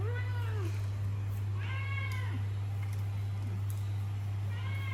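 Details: Pet cats at home after they had already eaten, meowing with curiosity as they beg for a taste of their owners' snacks; clear harmonic meows at the start, middle and end, with a woman talking and a steady low hum throughout.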